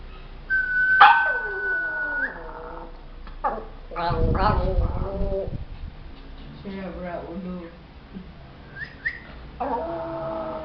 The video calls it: dog making weird sounds